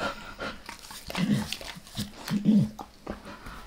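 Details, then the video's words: A dog named Max licks a person's face at close range: wet smacking tongue strokes come irregularly, broken by two short, low, nasal whine-like sounds, with no voices. "Max Licks | Face Part Deux | ASMR DOG LICKING"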